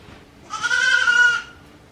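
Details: Newborn goat kids, one day old, offspring of the goat Hikari at Yoshigake Farm, a handmade goat farm, on 17 April 2024; a single clear, nasal bleat about one second long, wavering slightly in pitch, over a quiet background.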